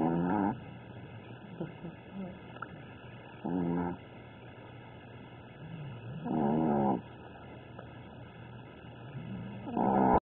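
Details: Snoring Chihuahua in deep sleep: rough, rattling snores recurring roughly every three seconds, four in all, with faint snuffling and soft breaths in the gaps.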